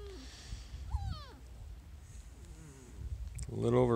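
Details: Small Munsterlander puppies from a litter just over five weeks old give a thin whine that slides downward with stacked overtones near the start, then a louder wavering whimper at the end, over quiet human voices.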